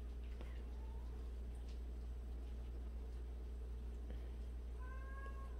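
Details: House cat from a colony of 76 abandoned and street cats; a faint brief meow early, then a clearer rising meow at the end, over a steady low hum with light shuffling.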